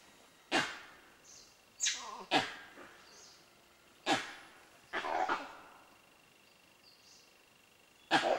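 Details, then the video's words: Gray langurs in Bandhavgarh National Park, Madhya Pradesh, in October 2010, give about six harsh, explosive coughing alarm barks at irregular intervals over eight seconds at an unknown predator; peacocks are also heard. "Langur Alarm Calls"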